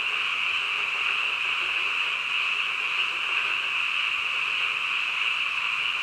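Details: Frogs calling late at night in a dense chorus. A sustained, shrill trilling drone runs unbroken through the clip, and the separate voices are indistinguishable within the mass.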